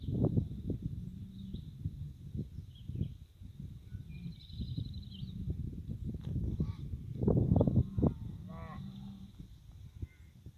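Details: Cows and calves on their way to summer pasture: low, muffled lowing and rumbling mixed with constant thumps and shuffling of moving animals, a faint chirping bird call higher above.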